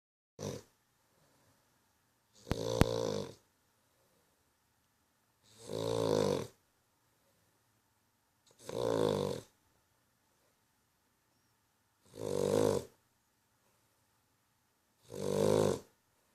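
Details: Sleeping dog snoring in a steady rhythm, one rasping, harmonic-rich breath roughly every three seconds with silence between; each snort is loud and buzzy with a slight rattle, six snores heard in all, indoors and otherwise quiet.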